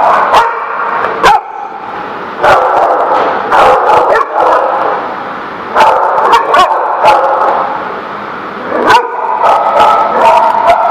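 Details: Dogs at The Barking Lot on 22 September 2017 give sharp, loud barks in irregular bursts, several in quick succession, over a steady murmur of background chatter and room noise.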